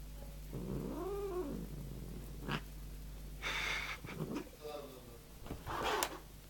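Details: Large domestic cat, angry and ready to attack its owner indoors, giving a rising-falling moaning yowl, then a hiss and several short harsh growling sounds over a steady low hum.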